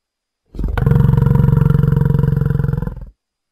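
A bison gives one deep, rumbling roar lasting under three seconds, low and throaty with a fast pulsing grain. No other sounds are heard.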